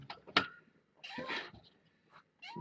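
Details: Kittens of Nala Se, a year-old former stray cat, in a foster room in the morning; short rising kitten meows, one near the start and one at the end, with a burst of rustling handling noise between.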